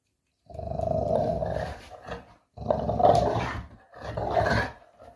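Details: Playing puppy gives three long, rough, rumbling growls, each lasting one to one and a half seconds, with brief pauses between them.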